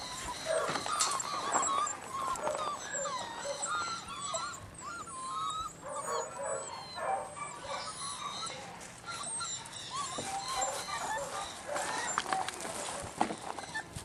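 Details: Mirage and Sooner's puppies whimpering together, a steady stream of overlapping thin, squeaky whines that curve up and down, with soft rustling and background noise throughout.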